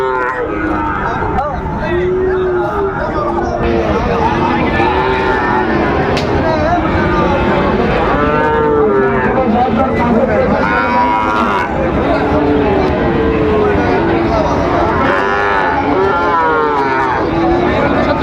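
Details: Sahiwal bull calves being bought and sold at the start of market day at Raniganj cattle market, Dinajpur, Bangladesh, 23 October 2025. Low, drawn-out moos rise and fall repeatedly over a dense background of bargaining voices and crowd chatter.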